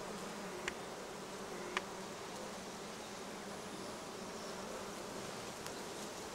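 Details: Honey bees busy on acacia and other plants along the Cernavoda–Medgidia motorway in Romania; dense, even wingbeat drone throughout, with occasional short ticks and a thin high tone in the background.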